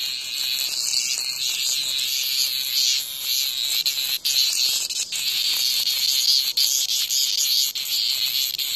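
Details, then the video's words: Cicada near a house under attack by a hornet; a continuous dense high buzz with pulsing bands fills the whole clip, with brief dips and a few short breaks in the drone. "말벌의 공격을 받는 매미"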